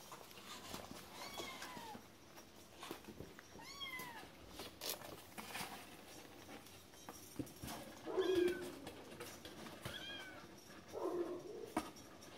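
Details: Domestic cat giving several short meows spaced a few seconds apart, some rising then falling, over a noisy indoor background with clicks and knocks.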